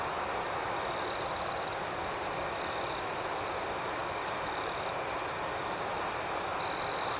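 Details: Crickets at night: a steady high trilling band with pulsed chirps above it, and a louder close chirp burst near the start and again at the end, over a soft hiss.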